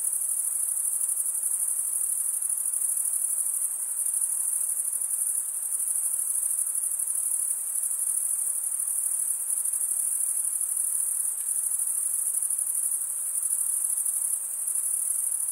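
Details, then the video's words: Crickets stridulating, rubbing one wing's toothed vein against the other, in a steady high-pitched shrill trill that holds without a break for the whole stretch, with only slight swells in loudness and no other sounds. "Most relaxing cricket sound"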